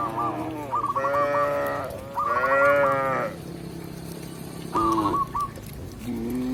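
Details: Tame village cow mooing while a shepherd leads it back to the pen in the countryside; three drawn-out, rich moos of about a second each, a low shorter moo at the end, with repeated chirpy notes between them.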